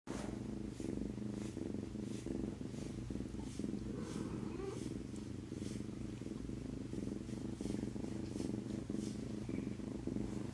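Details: Male domestic cat purring steadily and close up, a low continuous rumbling pulse in a regular breathing rhythm throughout, with faint rustling and brief soft background sounds.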